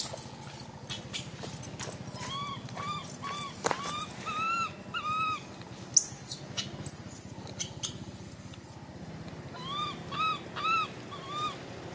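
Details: Baby monkey alternating bent, tonal cries with piercing high-pitched screams in the middle, then more arched whimpers, over a faint low buzzing background.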